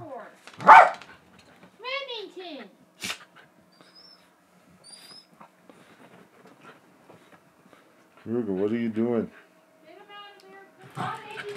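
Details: Jack Russell Terrier in the morning gives one sharp, loud bark, then short whiny yelps and a longer wavering whine, with people talking nearby.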